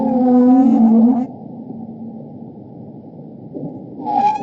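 A bowhead whale gives a strong, harmonic moan that wavers slightly before breaking off.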